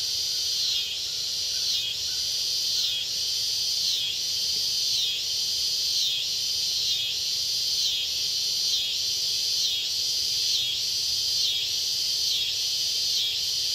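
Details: Red-headed bush cricket (Phyllopalpus pulchellus) at the State Botanical Garden of Georgia in Athens, USA: high, buzzy pulses repeating about once a second, layered over a dense, steady chorus of other insects.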